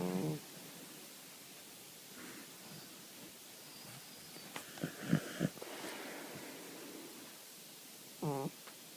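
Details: Sleeping cat's snore, short buzzy rattling breaths at the start and near eight seconds, quiet room between, a few soft rustles and clicks in the middle.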